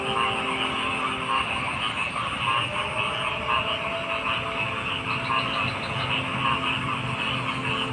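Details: Massed frog calls: rattling, pulsed croaks packed closely together, with a few brighter bursts standing out near the end. A steady low hum persists throughout.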